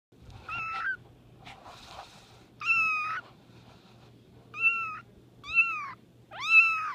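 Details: Two-week-old male Bambino kitten, a rare hairless breed, blue and white tabby with fat wrinkles and short legs, giving high, thin meows. Six calls come irregularly, some flat and some rising then falling, with a faint low hum underneath.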